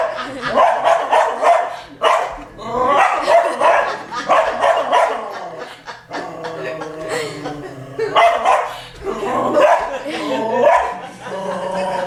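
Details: Domestic dog barking at a television showing wild boar, trying to scare them away; loud, tonal barks and yelps come in repeated bursts about every second or two across the whole stretch, mixed with television sound.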